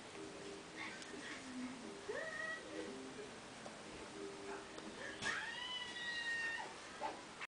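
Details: Two-month-old pet beagle puppy giving thin, high whining calls, some rising and falling in drawn-out sweeps, in quiet scattered bursts over a steady low background hum.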